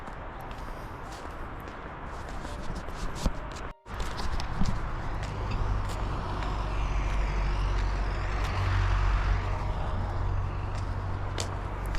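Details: Steady urban traffic rumble with passing vehicles, a brief air-brake hiss and faint speech, with no animal voice heard.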